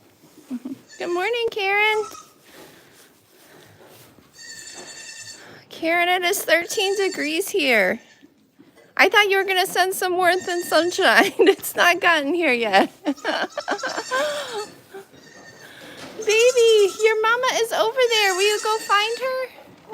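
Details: Goats at The Willful Goat Farm & Home bleating in a busy series of wavering, quavering cries, several overlapping, each about a second long, with short quiet gaps between bursts.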